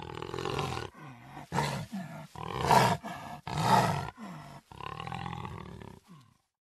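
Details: Jaguar giving a sawing roar of repeated coarse grunts, roughly seven strokes spaced under a second apart, loudest around the third and fourth, fading into short falling tails at the end.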